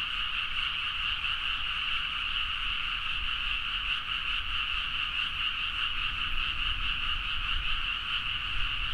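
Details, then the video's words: Frogs chorusing loudly late at night in rice paddies at Nagaoka, Niigata, Japan, recorded on a Zoom H4n. A steady mass of fast, rattling croaks continues unbroken, over a faint low background hum. "The frog sound at mid night (環境,自然音 -深夜のカエル大合唱-)"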